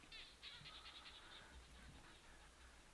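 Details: Barking geckos call in the evening in the Kalahari near the Aha Hills, named for the call. Rapid, sharp, high clicking notes repeat about four or five times a second, fading after the first second-and-a-half over faint low background noise.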